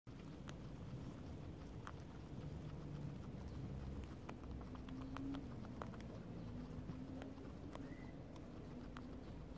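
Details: Two guinea pigs munch clover non-stop, a sign of happy guinea pigs: soft, irregular crunching clicks over a low, steady rumble. Guinea pig (Cavia porcellus), chewing.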